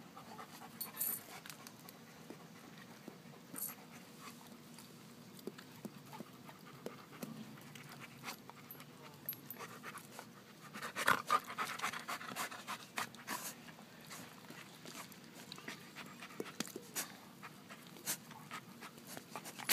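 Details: An Alaskan Malamute pants in quick, breathy bursts, with a louder spell near the middle.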